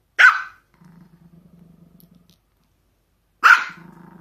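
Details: Pomeranian dog around socks giving a single sharp yap, a soft rattling low growl lasting about a second and a half, then a pause before another yap followed by more low growling.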